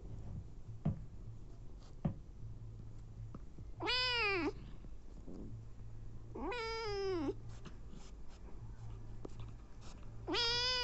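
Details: Around a nursing mother cat feeding hungry abandoned kittens, three loud, drawn-out meows rise then fall, spaced about two to three seconds apart, over a steady low indoor hum with soft clicks and rustles.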